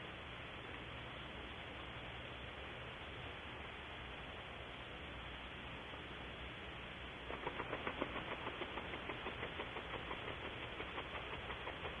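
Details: Steady hiss of background noise, joined after seven seconds by a fast mechanical ticking, with no animal voice heard.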